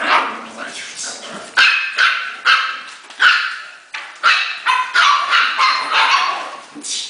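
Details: Playing Havanese puppies barking excitedly: loud, sharp barks repeated roughly every half second, some doubled, with a person's voice faintly underneath.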